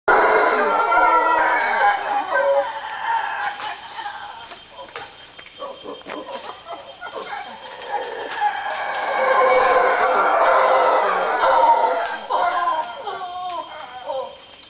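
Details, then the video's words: Howler monkeys in Gamboa, Panama, in May 2010 give deep, guttural roars that swell and fade in rolling waves. "Howler Monkey Calls 2"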